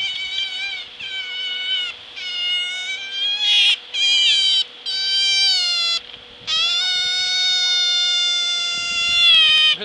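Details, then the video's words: Young otter at an animal park on Lanzarote, one of the Spanish islands, screaming loudly: shrill, harmonic-rich wails in bursts of one to two seconds separated by short breaks, the last one long and sustained, over a steady low hum. "Schreeuwende otter"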